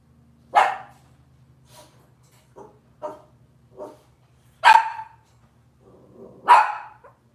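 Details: Cavalier King Charles Spaniel puppies from Robin's litter on a kitchen cam livestream, giving a few short sharp barks and yips spaced irregularly, with quieter softer yelps between them and a low steady hum in the background.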